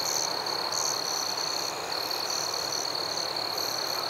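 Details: Crickets calling at night in a forest: a steady, shrill high-pitched trill runs throughout, overlaid by brief higher chirps in loose bursts, with an even background hiss.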